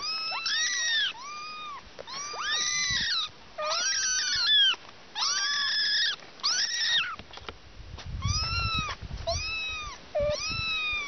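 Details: Several small kittens crying together in a busy chorus of piercing, arched meows, many overlapping and repeated almost without pause, some brief squeaky notes mixed in.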